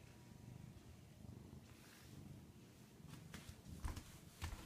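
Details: Quiet purring from Rudy, a domestic cat indoors: a soft low rumble running through the recording, broken by light clicks and taps near the end.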